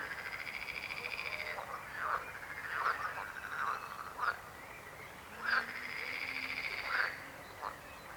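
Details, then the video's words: Frogs croaking: a long buzzing, pulsed croak opens, followed by shorter clicking croaks and another drawn-out rattling call, several voices overlapping with brief gaps between them. "Rechot żab. Croaking frog sound."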